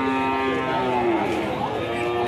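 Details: An angry cow from a collection of fierce, raging cattle gives a sustained, steady moo that dips slightly in pitch and then levels off, over constant background noise.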